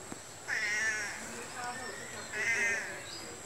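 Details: Domestic cat giving two drawn-out, arching meows about two seconds apart, each with a rich stack of harmonics; a faint steady high hiss and brief murmuring fill the gap between calls.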